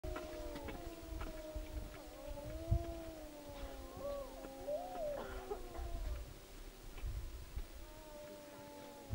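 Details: Several wolves in Yellowstone howl together in long, steady tones that overlap and slide gently in pitch.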